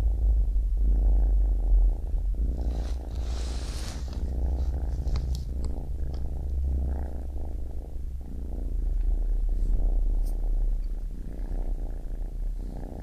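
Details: Close, loud baby kitten purr dominated by a heavy low rumble, with uneven breathing pulses and a brief soft rustle near the start.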